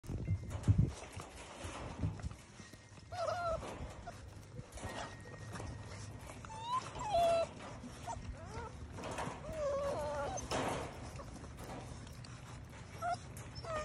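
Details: Nine-week-old English Setter puppies giving several thin, wavering whines and squeaks that rise and fall, scattered irregularly over a steady low rumbling background.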